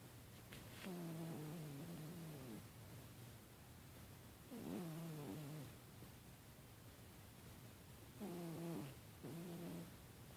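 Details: Domestic cat snoring while asleep: three low, droning, slightly wavering breaths, each about a second and a half long, recurring roughly every three to four seconds with quiet pauses between, over faint room hiss.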